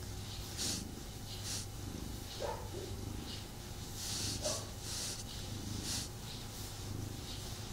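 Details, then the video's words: Domestic cat purring while snuggling with its owner indoors, somewhat restless and not fully relaxed; a steady, low continuous rumble runs throughout, with soft hissy breath-like puffs recurring about once a second. "ASMR Cat Snuggle Kuddle | Purring"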